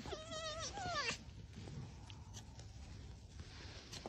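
An Arctic fox gives a wavering, whining call that falls in pitch, then quiet room noise follows.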